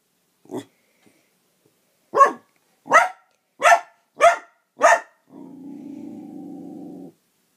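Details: Sid, a dog, barking at a toy dog: an isolated yelp, then five sharp, loud barks roughly every 0.6 seconds, followed by a steady low buzzing drone for about two seconds.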